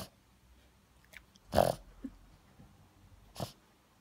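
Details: A Boston Terrier that has a cold gives two loud, breathy snorts about two seconds apart in a quiet room.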